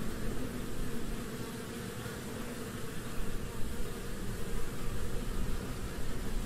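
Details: European hornet buzzing: a steady low drone with a dense hum that fills the whole recording and swells and fades slightly in loudness.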